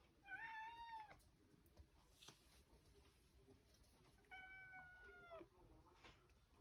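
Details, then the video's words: Indoor pet cat demanding access to the fridge utters two clear, sustained meows about four seconds apart, each bending downward at the end, with a few knocks and taps between them. "Cat demanding access to the fridge"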